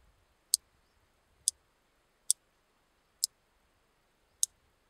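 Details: Large marsh grasshopper (Stethophyma grossum), Elsbethen, Austria, 26 September 2021: five loud, clean, sharp clicks roughly one per second against a near-silent background.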